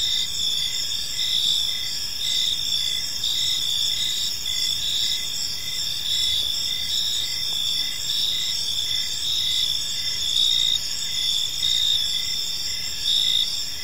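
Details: Park crickets at evening giving a dense, unbroken high trill, short chirps pulsing regularly through it while a quiet rumble of background noise sits underneath.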